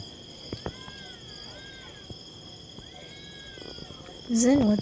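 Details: More than one cat yowling outdoors: drawn-out, arching wails that rise and fall, two long calls a couple of seconds apart over a steady high insect-like hum, before a loud human voice breaks in at the end.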